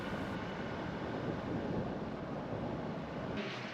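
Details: Steady low engine rumble with wind buffeting; no animal calls.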